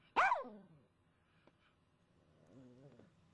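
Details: A dog, stirred up by a squirrel in the front yard, gives one sharp high bark followed by a faint, drawn-out whine.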